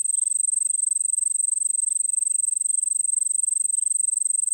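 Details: Cricket chorus in the Nilgiris, India: a steady high-pitched trill pulsing rapidly, close to four pulses a second, continuous and even throughout with no other clear sounds.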